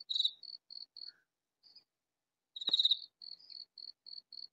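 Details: Katydid calling in a vegetable garden; two loud scratchy rasps about two and a half seconds apart, each followed by a string of soft even ticks.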